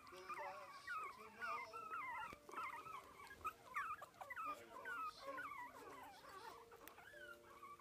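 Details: Four-week-old Biewer terrier puppy enjoying his first taste of meat, giving wavering high squeaks and whimpers in quick irregular bursts while eating, with faint background voices.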